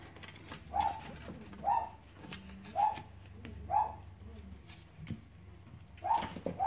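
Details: Playing Cavalier King Charles Spaniel puppies whine in brief, slightly rising tonal yelps, about one per second, over a soft low background hum.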